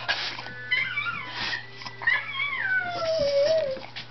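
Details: A Wire Fox Terrier listens to a singing dog: a dog's high, wavering howl slides up and then falls slowly, sounding almost like singing.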